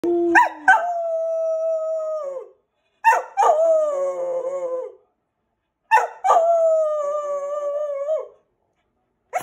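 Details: Simba, a Keeshond on his 4th birthday, howls as people sing happy birthday. Three long, drawn-out howls of about two seconds each, each opening with short yelps and holding a steady, slightly falling tone, separated by brief silences.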